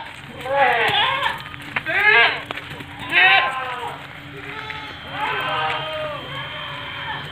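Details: Etawa goat, a seven-month-old doeling standing 70 cm tall, giving several wavering, harmonic bleats in uneven bursts, with a man speaking Indonesian nearby.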